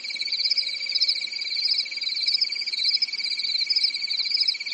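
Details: Summer-night crickets in Europe giving a continuous high-pitched pulsing chirr in two stacked bands, with a faint steady low hum during the first half.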